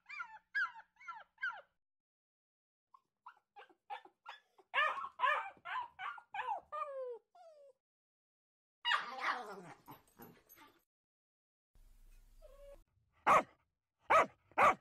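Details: Medium-sized dogs bark in scattered bursts of quick, high yaps, with a harsher rough bark midway, then three loud, isolated sharp barks near the end.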